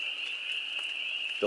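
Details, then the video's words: Frogs mating in a farm pond in spring, April 25, 2022, the whole pond singing: a steady, high, shimmering trill from many callers blends into one unbroken band, with a brief human voice at the very end. "Frogs Song"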